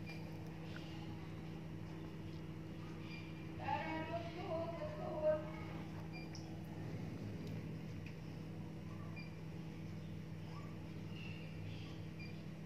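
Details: Himalayan cat giving one drawn-out, wavering meow of about a second and a half near the middle, with harmonics stacked above it, set against a steady low hum and faint background voices.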